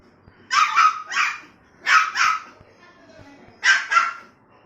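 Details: Snow-white puppy barking in anger after being put up on a height such as a stool or sofa, left stranded. Three bursts of sharp, high barks, each a quick double bark, spaced about one and a half seconds apart.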